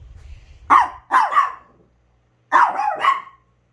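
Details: Chihuahua in a multi-dog household giving sharp barks in two bursts, a pair of quick yaps then a pause and another doubled bark, in a quiet room.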